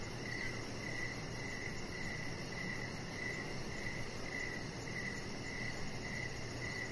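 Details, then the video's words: Evening crickets calling near a backyard deck with a chihuahua puppy resting; short even chirps come in a steady train roughly every half second, a faint continuous high tone above, soft broadband background noise throughout. "Cricket Sounds"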